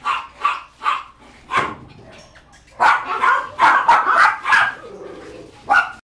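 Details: Mixed Boxer, Retriever and Border Collie puppies giving sharp, high yips and barks, a few spaced calls at first, then a dense overlapping cluster of yapping, with faint voices in between.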